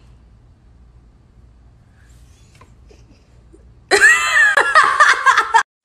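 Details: Near silence with a faint low hum for four seconds, then a loud burst of human laughter and giggling that stops abruptly.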